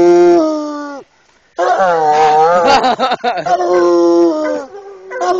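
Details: Eight-year-old male Bluetick Coonhound working a raccoon held in a cage, giving long drawn-out howling bays; a steady tone, a pause, then a wavering, rising-and-falling bawl and ragged, broken notes before another sustained howl.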